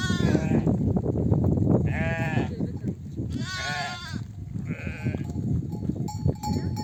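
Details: Nomadic flock of sheep back from desert pasture, mothers calling lambs to nurse: several shaky bleats of differing pitch amid heavy low shuffling, with faint ringing tones near the end.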